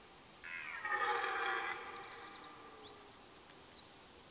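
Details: Red deer stag roaring during the rut in a forest in Mecklenburg-Vorpommern, late September 1996 or 1997; one drawn-out, harmonic-rich bellow lasting just over a second, then quiet woodland background.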